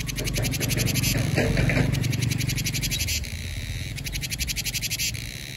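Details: Vietnamese cicadas calling in summer, high rattling pulse bursts and steady buzzing; a person's voice is heard low in the first seconds, after which the cicada throbbing continues alone.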